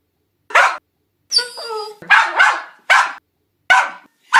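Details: West Highland White Terrier barking sharply, with short, bright yaps about every half second. A high, wavering whine sits between the first barks.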